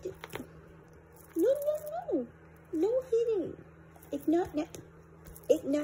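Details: Indoor pet cat, described as turning from angel to devil, gives two long drawn-out meows that rise and then fall, then shorter broken calls; a person scolds firmly in a small room.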